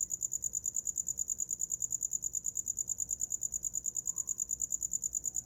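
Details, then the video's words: Steady cricket song for sleeping: bright, piercing pulses at a fixed high pitch, tightly spaced and regular, about forty in five seconds, over a quiet low hum. "Som de grilo para dormir"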